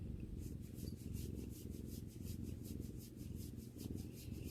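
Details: Sakura, a pet cat and sister of Kotetsu, purrs while relaxing with her owner: a steady low rumbling drone that pulses in even waves, with a soft rhythmic hiss riding above it and no other clear sounds.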